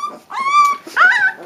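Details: Three-week-old Leonberger puppies whimpering indoors: two drawn-out whining notes, the first steady and high, the second a brighter rising-then-falling squeal, separated by a short pause.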